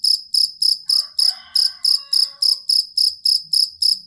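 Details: Cricket (jangkrik kalung or fighting cricket) used to tutor songbirds: loud high chirps pulsing about three and a half times per second, with a faint layered warbling call in the first half.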